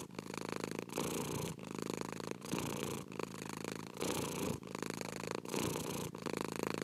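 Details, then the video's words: A cat's continuous purr, a coarse vibrating rumble that swells and breaks with each breath, about eight even pulses in a short stretch, heard close and clean. "PURRING CAT"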